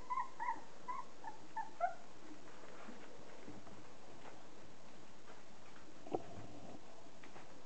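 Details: Border Collie puppies thirty days old, the litter of Kim and Andy, give a quick burst of thin whining squeals at the start, then near quiet with a single soft thud.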